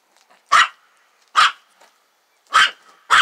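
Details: A nervous dog at a trailer, scared of a lamb that wants to play, fires off four separate clipped barks, the last two close together, in otherwise quiet surroundings.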